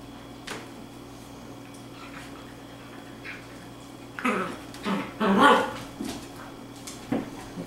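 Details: Izzy the dachshund playing with her new puppy sister indoors; scattered soft yips and grumbling growls cluster mid-way, with thumps and scuffling from the rough play in a small room.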